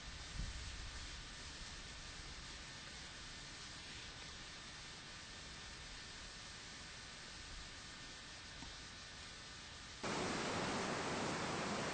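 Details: Steady broadband hiss and rustling with no animal voice, growing louder near the end.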